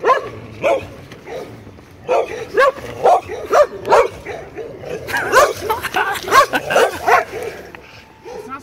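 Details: Neighborhood dogs barking steadily: many quick, irregular yappy barks, thickening into a dense overlapping flurry midway, with faint human voices in the background.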